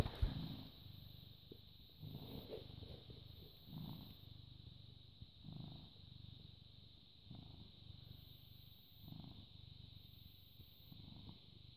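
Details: British Shorthair cat purring on a May 2017 morning, born August 2010; gentle bass rumble pulses in slow, regular breaths roughly every one and a half seconds, opening with a brief knock, over a quiet background hiss and a steady high whine.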